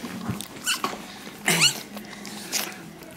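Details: Rosie, a first-time red Staffordshire Bull Terrier bitch, in her whelping pen during labour, giving birth to her daughter Lily-May. Breathy, uneven bursts of breath, with a brief high squeaky whine in the middle, in a small indoor room.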